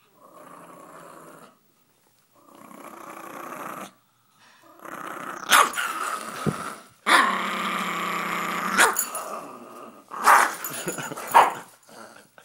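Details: Mila, a pet dog possessive over her money, growls in long rumbling stretches broken by short gaps, with sharper snarling bursts near the end.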